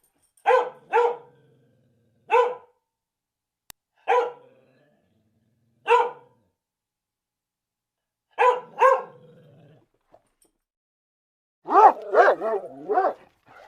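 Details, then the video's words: Dog barking indoors in single and double barks spaced a second or two apart, mid-pitched and sharp, ending with a quick run of higher, wavering yelping barks. "how dogs bark. dogs sounds"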